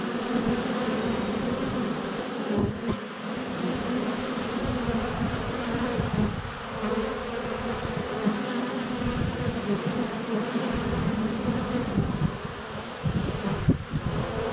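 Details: Many honey bees in flight around a hive entrance on a sunny February day, with a GoPro Hero 7 Black less than a foot away. A dense, continuous low buzzing swells and fades, and a few sharp clicks are heard.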